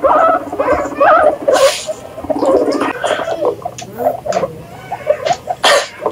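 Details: Guinea pigs making quick bubbly squeaks and chattering calls in short clustered bursts, mixed with sharp rustling and bedding noise.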